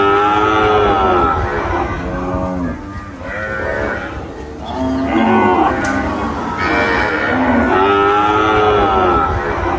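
Cattle moo in long, deep, harmonic-rich calls, one after another with short pauses between.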